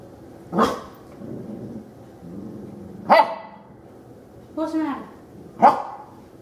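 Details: A female puppy meeting a vacuum cleaner for the first time gives four sharp, short barks spaced one to two seconds apart, one with a slight falling yelp, with faint low sounds between them.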